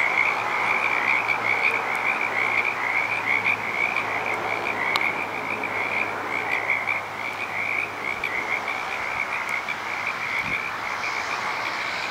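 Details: Petaluma frog chorus, many callers: a steady, loud, high trilling mass of rapid croaks that barely varies in strength, with a faint low hum and occasional clicks.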